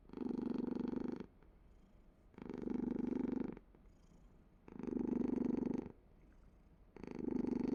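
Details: Rhythmic purr from a domestic cat, loud grainy rumbles alternating with softer in-between breaths, four surges about every two and a half seconds.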